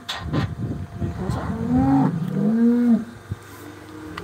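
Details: Cow (Bos taurus), low moo: protest at confinement, wanting to return to her calf.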